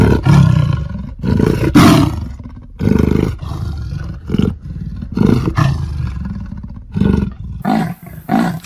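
A leopard gives deep, rasping grunts in uneven bursts, rumbling like a heavy engine.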